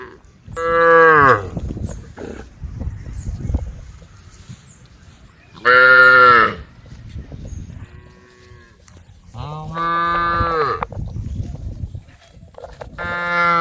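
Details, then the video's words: Group of tame female cows calling out to a herd of agitated cows: loud, rich moos about every four seconds, four in all, some rising then falling, with quieter rustling and low noise between calls. "the sound of cows calling out to a herd of angry cows"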